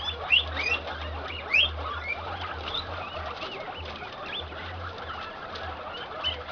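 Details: Farm-bred guinea pigs, an improved Inti male in heat mounting an improved Peru female: low buzzing rumble bursts repeat through the clip, with sharp rising squeals standing out early amid a busy squeaking colony.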